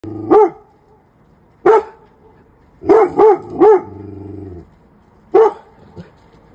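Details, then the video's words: Labrador Retriever barking, excited and afraid at the sight of a snowman: six loud, sharp single barks in irregular bursts, including three quick ones in a row, with a short soft whine between them and a quiet background. "your dog is afraid of random objects Labrador retriever"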